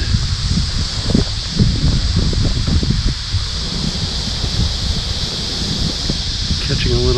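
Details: Cicadas (called locusts) in August in Quincy, Illinois give a steady, high, shimmering drone that runs unbroken under gusty wind.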